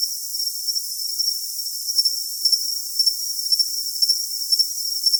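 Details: Cricket calling with a high, steady ringing trill and brief brighter chirps recurring about twice a second, set against an even hiss; nothing is heard in the low range.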